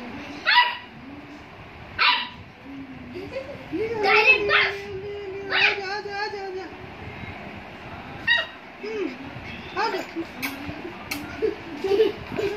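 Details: A 40-day-old Labrador puppy gives sharp, high yapping barks mixed with thin, drawn-out whines.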